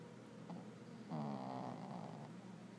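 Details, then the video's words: Sleeping puppies snoring indoors: a soft, low, wavering snore swells for about a second, then trails off into quieter breathing, over a steady room hum. "Snoring pups"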